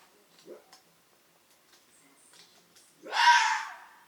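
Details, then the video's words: A roe deer gives a single loud, hoarse bark, the alarm sound that both male and female roe deer make when startled. "Both male and female roe deer bark when they are startled."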